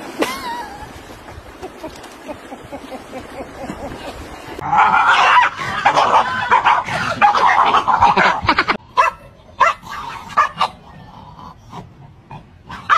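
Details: Dogs in a funny compilation: a thin rising whine at first, then a dense stretch of excited, harmonic yelping and whimpering, then after an abrupt cut a series of short, sharp barks at irregular intervals.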